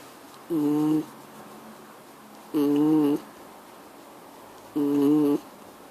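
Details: A Miniature Schnauzer gives three droning, tonal hums, each lasting roughly half a second, spaced evenly about two seconds apart in a quiet background.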